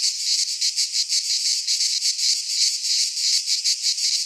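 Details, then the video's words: Cicadas singing in midsummer in a Greek pine forest: a dense, harsh buzzing chorus concentrated high in pitch, pulsing roughly three times a second with steady loudness and no other sounds. "Cicadas singing in midsummer"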